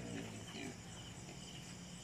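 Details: Native pigs being fed banana leaves to prevent diarrhoea; two short, low, harmonic grunts in the first part, then a steady low hum with faint crunching and rustling.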